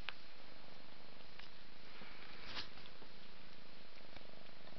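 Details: Mother cat purring while bathing her five-month-old kitten Ming indoors; a low, steady rumbling purr runs throughout with faint soft rustles and licking sounds on top.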